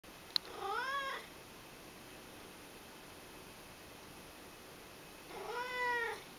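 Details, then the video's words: Ragdoll cat indoors begging with cute cries: two drawn-out meows about five seconds apart, each arching up then down with bright stacked harmonics, separated by a quiet room hush. "The Begging cat （ragdoll）"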